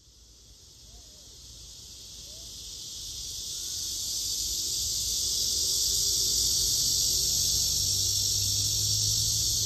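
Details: A blackish cicada's droning buzz swells from quiet to full strength over the first six seconds, then holds as an unbroken, intense high-pitched hiss over a low background rumble.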